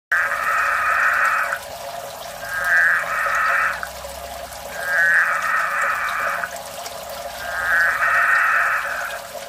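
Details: A Budgett's frog calling, not screaming, gives long, buzzy, bleating calls, each over a second, repeated about every two and a half seconds.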